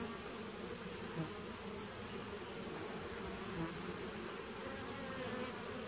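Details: Steady colony hum from a honey bee nuc established in 2017, captured in September 2018; an even, low buzzing drone with a couple of soft bumps and a faint high tone overhead.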